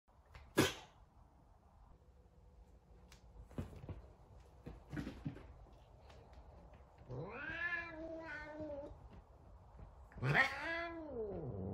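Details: Angry F2 Savannah cat, a pet named Sabian, giving two drawn-out, wavering harmonic yowls, the first bending up and down and the second an arched cry, after a few sharp knocks and thumps.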